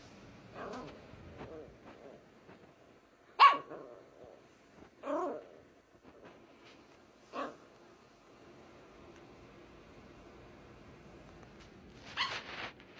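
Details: Scout, a 5-month-old female Scottish Terrier-Chihuahua mix puppy, gives sharp, scattered barks and yaps to coax her 2-year-old sister, who is sleeping by her food, into play.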